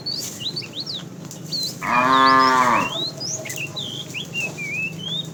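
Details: Fat cow in a tame herd driven along in the afternoon, calling the female with one short, rich moo that rises then falls, set against constant bright chirps and whistles of birds.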